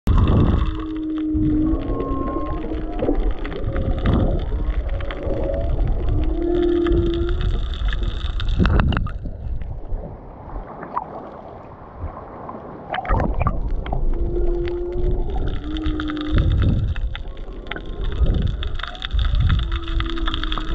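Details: Whale song recorded underwater off Maui, with turtles nearby: drawn-out tonal moans and higher squeals repeat over a rumbling, noisy background of popping shrimp.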